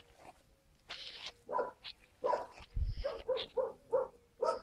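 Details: Skye Terrier puppies recorded on 5 June 2016: short, high yips in an irregular series, about two per second, with brief breathy noises between them and a low thump near the middle.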